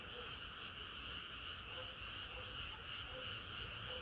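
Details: Chorus of frogs on a hot summer night: a continuous wall of overlapping trilled croaks, fast and unbroken, with a faint low background hum.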